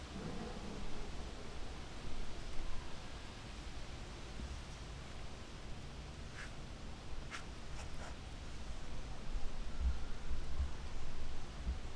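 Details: Faint low rustling and outdoor background noise with a few brief clicks, no animal voice heard.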